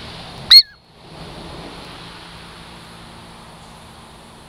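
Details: Douglas squirrel called Girl Squirrel, a pet native to the Puget Sound lowlands, approaching for a treat; a sharp piercing chirp with a falling tail, then quiet, with another chirp at the very end.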